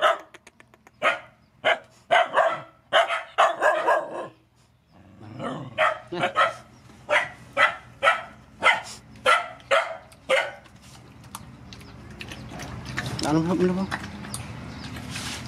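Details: Rescue mother dogs with their puppies at feeding time, giving a run of sharp barks roughly every half second, some bursts doubled, before the barking thins out into softer yips and rustling background noise.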